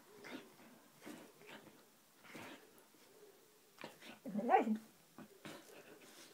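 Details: Siberian husky Roxy playing, making soft breathy huffs and low play growls, rising into a brief wavering whine before more quiet grunts.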